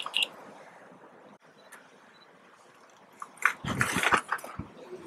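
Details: At James Bay, Santiago Island, Galapagos, a young mother sea lion coaxing her pup into the water gives a harsh, throaty, bark-like bawl in ragged bursts after a faint hiss.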